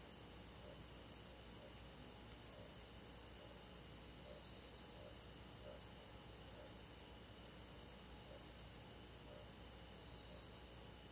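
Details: On a summer night, forest crickets and other insects keep up an unbroken, high, buzzing trill in stacked layers, while gentle lower beats pulse at an even pace of about one per second.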